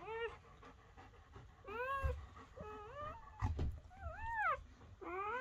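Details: Newborn German Shepherd puppies on their first night, just born to a mother who went into labour in the evening. High, arching whimpers come in short bursts with pauses between them. Soft low bumps and rustling sound in a small indoor space.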